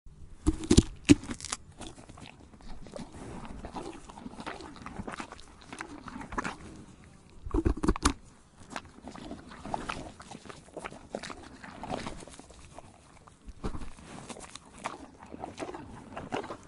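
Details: A horse chewing tree bark, with irregular crunching and grinding bites repeated about three times a second.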